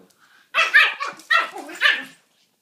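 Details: Two pet Pekingese playing together indoors; three harsh, raspy barking bursts follow one another within under two seconds, each with a falling, growly edge, then quiet.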